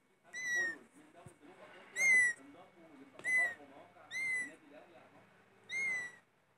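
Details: Loud meowing from cats: five short, high, slightly falling meows, each under half a second, spaced about every second and a half, with faint rustling between them.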